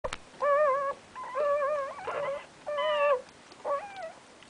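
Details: Terrier mix puppies with their mother: five high, clear whining squeals, each about half a second long, held at a steady pitch with a slight waver and separated by short pauses, in a quiet room.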